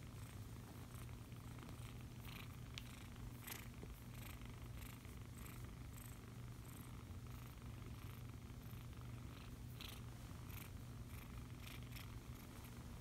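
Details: Foster kitten purring while being cuddled indoors, a steady low rumbling purr running unbroken through the whole stretch, with faint rustling and brief soft clicks above it.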